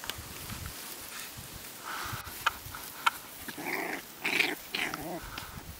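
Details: One-month-old Staffordshire Bull Terrier puppies in PACA, France, from a litter of eight, playing with their watchful mother. A few faint clicks at first, then several short, rough, whiny growls in quick succession toward the end.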